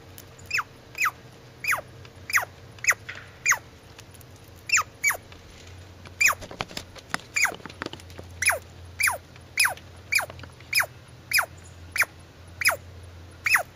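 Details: About twenty clipped, high-pitched squeaks from a squirrel, each dropping steeply in pitch, come at a fairly steady pace with a brief gap near the middle; a faint hum and scattered clicks sit in the background.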